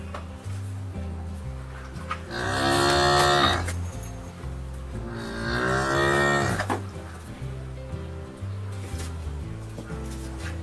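A cow gives two long, low moos, each a drawn-out lowing swelling and fading over about two seconds, with steady background music throughout.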